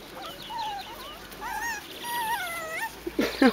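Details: Seven-week-old Biewer Yorkshire Terrier puppies at a breeder's puppy school, learning balance on a pond bridge and swing; thin, tonal whimpers slide up and down in short drawn-out whines, several overlapping, with a woman's soft voice and rustling at the end.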